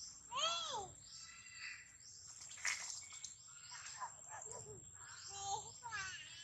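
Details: Baby monkey Daniela, taken from her mother Dana by another monkey, cries loudly calling for her mother; arched, wailing harmonic cries at the start, then softer broken squeals with a steady high whine behind.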